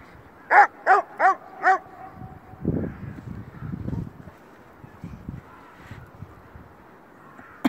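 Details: Bouvier des Flandres barking: four quick, evenly spaced barks in under two seconds, followed by lower rustling and soft handling sounds.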